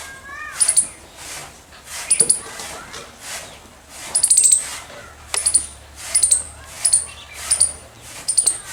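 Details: Squirrel chirping loudly: very high, sharp clustered chips repeated roughly every second, with faint lower rustles between bursts.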